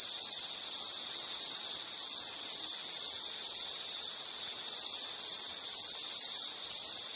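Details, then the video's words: Insect calling in a nature soundscape, giving high, shrill chirps pulsed about twice each second in a regular run, over faint steady hiss. "Sound · Nature Sound of nature sounds scenery L · insect"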